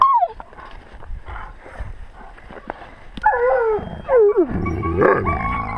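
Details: Wolves of a pack filmed at wolf level with a GoPro: quiet rustling at first, then sharply falling tonal howls and whines, one after another, ending in overlapping wavering calls.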